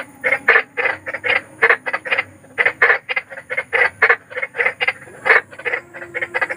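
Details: Big frog calling in the wild at night, a loud run of short harsh croaks in quick bursts of two or three, about five per second, with steady faint insect-like hum beneath.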